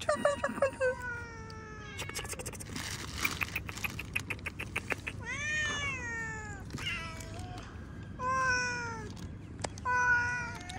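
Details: House cat calling repeatedly, a series of wavering, falling meows, some whiny and drawn out, between stretches of rustling and clattering handling noise, with a person talking softly.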